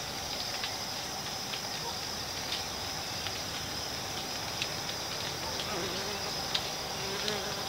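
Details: Mandaçaia stingless bees, which nest in hollows of tree trunks, give a steady, hissing drone, with brief louder buzzes as individuals pass close.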